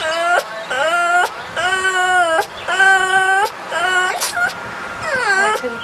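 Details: Dog making what is called a scary sound: loud, drawn-out wailing cries with a strong harmonic ring, about five long phrases in six seconds, some held steady and others sliding down then up, with short gaps between them.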